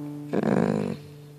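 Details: Onslow, a grumpy Basset Hound complaining about music and needing to go to the bathroom, lets out a single rough, growly moan lasting over half a second indoors, with a steady low hum in the background.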